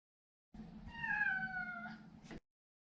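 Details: A single meow from Maro, a neutered male Maine Coon: soft start, then a smooth tone gently sliding downward over about a second, ending with a brief breathy click.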